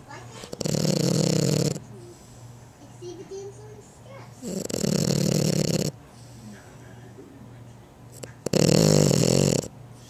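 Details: A young female French Bulldog snores in loud, rasping bursts, each lasting over a second, about every four seconds.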